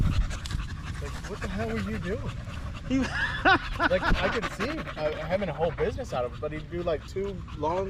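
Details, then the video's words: Male Staffordshire Bull Terriers with other male dogs during a long evening at a park, chattering together in a string of wavering, whining moans that rise and fall in pitch, with panting and low background rumble. "Long evening at the park male wolf pack chat"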